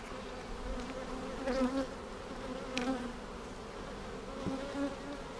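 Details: Honey bee colony buzzing during a hive inspection on March 10, 2019, seven days after a vertical split with a double screen divider board. A steady low hum holds throughout, with faint handling noises now and then.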